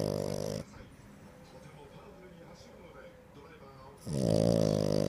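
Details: Pet French Bulldog, dated 20 August 2025, gives a moaning, harmonic grumble lasting about half a second at the start, then quiet indoor murmur, then a louder wavering drawn-out groan of about a second near the end.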